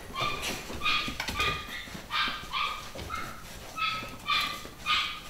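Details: Litter of nine-week-old pedigree Beagle puppies, boys and girls, at a UK breeder: high, tonal yelping whines with bright overtones, about eight short cries in five seconds, each slightly rising then falling, with soft rustling between.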